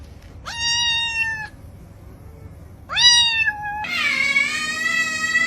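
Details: Domestic cat making weird sounds: two clear meows, each about a second long, rising then holding level, followed by a longer, drawn-out, slightly wavering meow that runs to the end in a quiet room.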